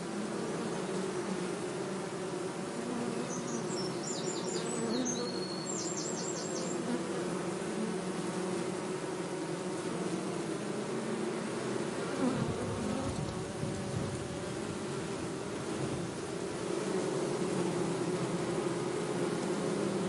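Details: Continuous bee buzzing, a low droning hum with shifting tone, while a few short high chirps from a bird break in early on over the steady drone.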